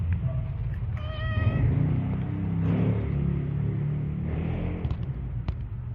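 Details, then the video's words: Pet cat named Tiger, described as still hungry and wanting food: a short harmonic meow, then a longer rising-falling meow about a second later, over a heavy low engine-like rumble. "Tiger's voice reveal"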